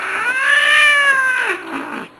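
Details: Loud, grumbling yowl from a grumpy pet Manx cat, a strained rising-and-falling wail lasting about one and a half seconds before trailing off, its owner reacting to the noise.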